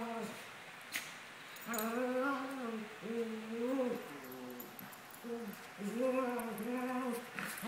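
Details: Two 17-month-old Maltese dogs playing indoors, giving a run of drawn-out, tonal growl-whines that rise and fall, each lasting about a second and following one another almost without pause.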